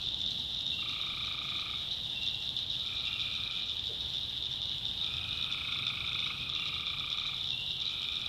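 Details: Tree frogs calling at night in a swamp in the backwoods of North Carolina: nasal, droning notes about a second long, repeated from several callers, over a constant shrill high buzz.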